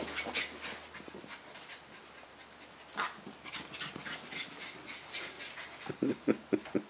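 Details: Border Collie Leroy, a household pet, gives soft breathy huffs, then near the end several short, high, nasal whimpering yips in quick succession over a low indoor hum.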